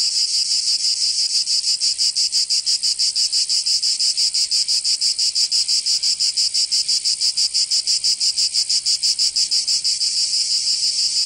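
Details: Provençal cicadas in summer in the south of France produce a strong shrill buzzing chorus, beating in regular rapid pulses about three times a second without pause.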